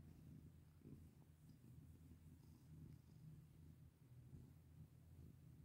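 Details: Cat purring contentedly as it is petted; a low, steady rumbling purr that never pauses, with occasional soft taps and rubbing sounds from the handling.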